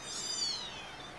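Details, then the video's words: A crowd of kittens screaming continuously from early morning into the night; one shrill, drawn-out meow rises and then slides downward, layered over other overlapping high cries. "HELL IS FULL OF SCREAMING KITTENS"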